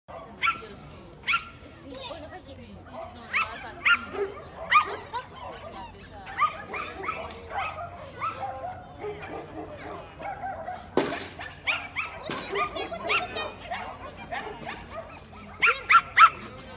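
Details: Welsh terrier Bertha barking during a clean agility run in Barcelona on 08/02/20: sharp, harmonic barks in short bursts near the start, middle and end, over continuous voices and a loud crash around eleven seconds.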